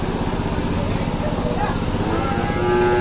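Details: Cattle at a large weekly cattle market in Dhaka, Bangladesh: a short, steady lowing moo comes near the end. A throbbing engine, like a motorcycle, runs throughout, with traders' voices asking prices.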